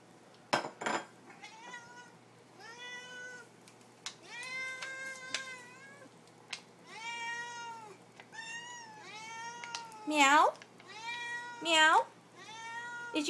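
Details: Domestic cats begging for their supper, meowing about forty times a minute in short, bent, harmonic calls, mixed with a couple of sharp, higher squeaky cries and faint clinks of dishes in the background.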